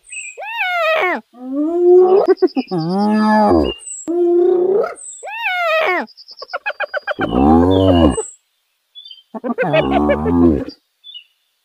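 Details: Wild hyenas in Kruger National Park, South Africa, calling loudly: moans that slide down then curl upward, broken by rapid stuttering bursts like cackling, and a few deep groaning notes.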